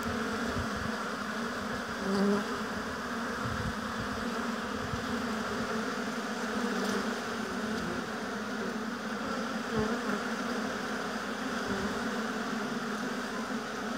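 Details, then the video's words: Honey bees buzzing at a hive in an apiary: a steady, dense droning hum from many bees, with louder close passes of single bees near two and ten seconds. "Busy Bees Buzzing Sound"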